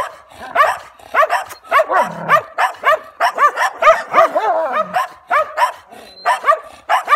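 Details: A German Shepherd confronts stray dogs with a burst of loud, choppy barks, nearly two per second and irregular, with a drawn-out whining growl between them.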